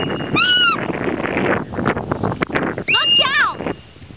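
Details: A hoary marmot at Lake Louise, Banff, gives two loud, piercing whistles over a background of murmuring voices.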